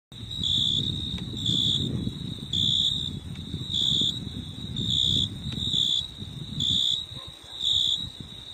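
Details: Insects calling at night in a rainforest park, a high, steady, ringing chirp pulsing on and off roughly every second, over a low rumbling background.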